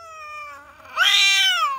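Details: Just-born kitten, seventh in its litter, mewing loudly: a softer drawn-out cry, then a sharper, higher, strained wail that rises and falls away.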